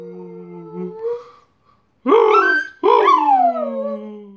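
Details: Domestic dog howling as it sings while bringing in the mail indoors: a steady held note gives way to two loud, wavering howls that rise sharply then glide down, rich in harmonics, with a brief pause between.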